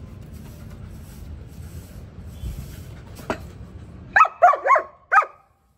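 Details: Annie, a German Shepherd dog, barks four times in quick succession near the end, short sharp barks after a stretch of low rumbling background noise and a faint click.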